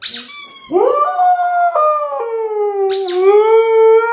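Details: Siberian Husky howling in response to a squeaky toy rubber chicken indoors; after a brief squeak comes one sustained, steady, slightly wavering howl held for over three seconds, interrupted midway by another squeak.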